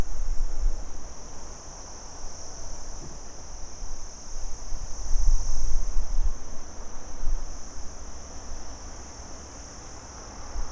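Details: A day chorus of crickets gives a constant thin, high buzzing trill that never stops, accompanied by fluctuating low rumble and faint background hiss.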